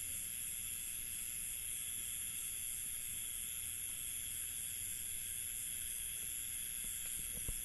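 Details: Village night ambience in India: a dense, constant cricket chorus of steady high trills in layered bands, a low background murmur, and a few faint knocks and clicks toward the end.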